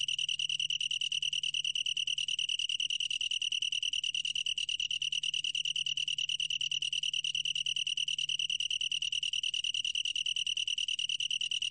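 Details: Continuous song of a long-tailed tree cricket, National Institute of Biological Resources 2020: a bright, high-pitched pulsing trill holding one pitch without pause, over a soft low background hum.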